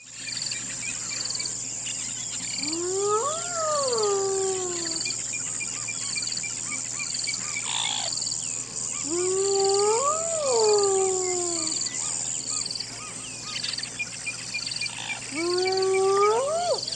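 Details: Hyena howling: three long arched whoops, each rising then falling over about two seconds with bright overtones, spaced roughly six seconds apart, over a steady high insect-like hum and scattered bird chirps.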